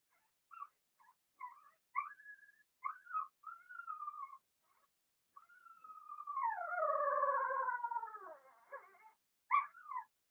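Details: Young Blenheim Cavalier King Charles Spaniel puppies, a litter of two females and four males in their home pen; a run of short yelping whines gives way to a long, loud, descending crying whine, then sharp squeals.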